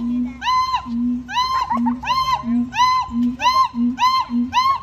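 A siamang calls rhythmically, alternating deep humming booms with bright, arching barks about twice a second. The calls are loud and harsh-edged, echoing slightly as if in a large space.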